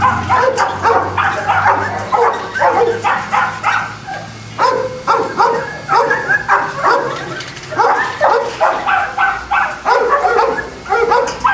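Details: Boston Terriers at a kennel in Jamundí near Cali, Colombia, yapping in a busy run of sharp, high barks and yips, several each second, with background murmur.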